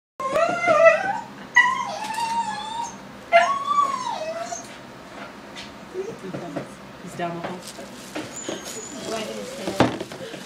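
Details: Pet dog crying and freaking out over a balloon indoors: high whining cries with bending, wavering pitch, several in the first four seconds, then quieter; a person's speech and laughter mixed in.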